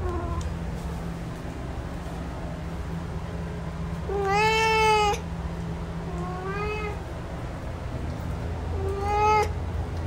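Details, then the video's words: Male cat meowing indoors: three drawn-out harmonic meows near 4, 6.5 and 9 seconds, the first longest and loudest, each slightly rising then falling, over a steady low hum. "MALE CAT SOUND"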